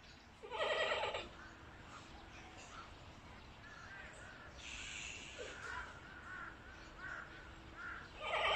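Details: Giant panda Meng Lan bleating, recorded 2022.05.18: three loud, harsh, harmonic bleats, each about half a second to a second long, separated by quieter stretches with faint chirps and background hum.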